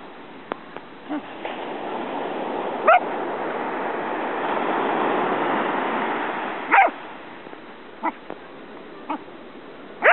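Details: Corgi dog giving three sharp, loud barks spaced several seconds apart, with a few fainter short yips between them, over a steady hiss of room noise.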